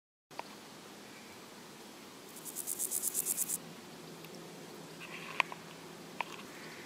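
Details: Meadow grasshopper (Chorthippus parallelus) giving one dry, high-pitched rasping burst of about nine quick pulses lasting just over a second. A few faint clicks follow over a steady background hiss.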